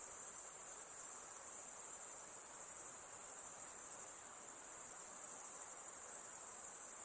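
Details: Crickets chirping through the night in a steady high-pitched pulsing trill, sustained without gaps, with a slight dip in loudness midway and soft hiss underneath.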